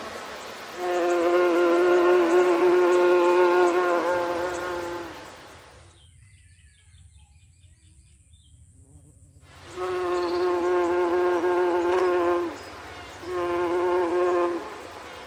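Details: A honey bee in the morning gives a steady, droning wing buzz in three bursts separated by quiet pauses.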